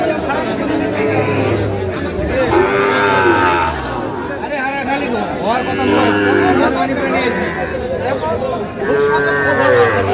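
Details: Sahiwal breed bulls being bought by a farmer in Tangail, Bangladesh, on 9 May 2025; several long, low, wavering moos rise and fall roughly every three to four seconds, mixed with men talking nearby.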